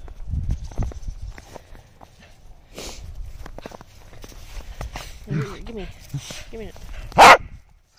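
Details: A Corgi gives a sharp, loud bark near the end, with people talking and footsteps around it, while two balls are thrown for the dogs in the snow.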